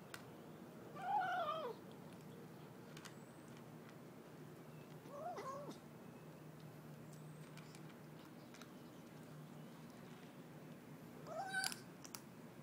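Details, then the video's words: Kitten eating and giving short "mmmm" sounds: three brief hummed calls spaced about four to five seconds apart, each swelling and falling, the last one higher and sharper, against quiet room noise with soft chewing clicks. "My kitten making "mmmm" sounds as it eats?"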